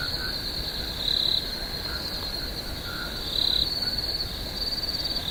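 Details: Crickets calling at night in a swamp: a steady, shrill, high trill with louder swells about every two and a half seconds, plus faint, short, lower chirps scattered beneath.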